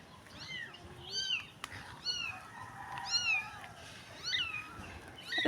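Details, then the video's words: Stray street kitten crying for help, fairly faint: thin, high meows repeated about once a second over a steady background hiss, with one sharp click midway. "POOR CAT CRYING DIRTY STREET STRAY WANTED HELP CAT SAD STORY"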